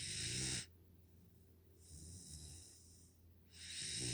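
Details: Nala, a five-month-old Pungsan puppy living in the United States, snoring while asleep: a harsh, hissing breath with a low rumbling undertone, heard at the start and again near the end.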